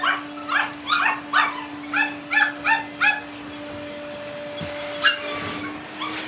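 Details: Tiny Poodle puppy, said to be gentle and obedient; about eight sharp high yips in quick succession over three seconds, then quiet with a faint yelp, steady hum behind.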